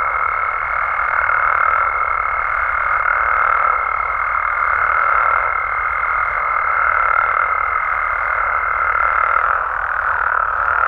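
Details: Night chorus of Mexican frogs and toads in the wild, a continuous wall of overlapping croaking with gentle pulses, over a long, steady high-pitched tone that stops shortly before the end.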